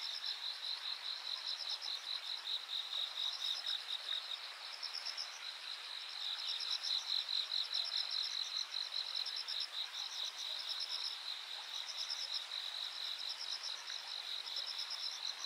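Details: Chorus of insects at the Yanagawa riverbank, recorded 13 August 2023, with continuous high-pitched ringing trills broken into quick regular pulses, several singers overlapping and swelling slightly in loudness midway.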